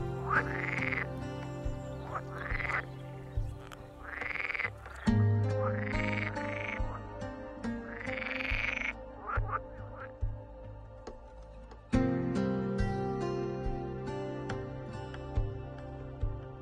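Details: Male edible frogs (hybrid green frogs, Pelophylax kl. esculentus) croak in loud, swelling bursts in a wetland during the spring breeding season to attract females, over soft background music.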